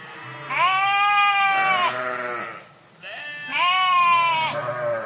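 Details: Sheep in a park flock: two long, clear, tremulous bleats, each over a second long, the first fading into a lower second voice, separated by a brief pause.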